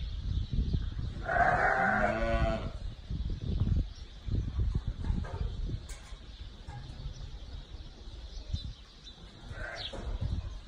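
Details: Sheep, ewes with their lambs: one loud, wavering bleat lasting about a second near the start, then quieter distant bleats, with steady low rumbling background noise throughout.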